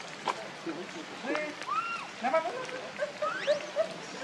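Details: Baby monkey, named Rainbow, crying while hungry and begging its mother for milk: thin rising and falling squeals and short whistled arcs, repeated in quick bursts over soft outdoor background noise.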